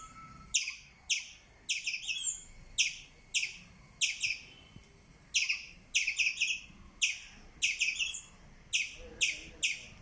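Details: Squirrel chirping: sharp, high-pitched chips repeated roughly every half second, some doubled or tripled into quick stuttering bursts, over a quiet background.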